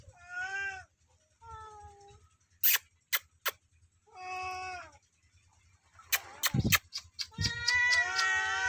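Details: Pair of cats meowing loudly, short clipped meows under a second each at first, then sharp taps and clatter, ending in a long, loud, rising-and-falling meow over scraping noise.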